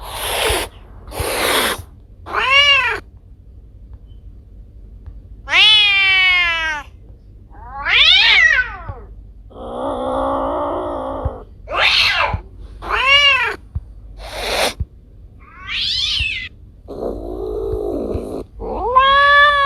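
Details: Domestic cats Kiko and Koko, pet recordings gathered over time: a string of varied meows, some short and rising, others long and wavering, broken by breathy noisy bursts and brief pauses, with a low steady hum underneath.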